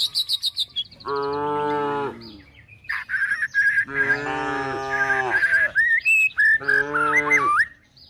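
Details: Tame cows and calves being herded toward the forest while looking for food give three long, steady, low moos, each about a second or two, with small birds chirping and whistling between and over them.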